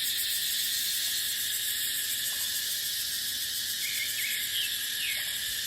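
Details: Dry-season dipterocarp woodland full of cicadas, their unbroken high-pitched whirring filling every second, while scattered faint bird chirps slip through the steady insect hiss.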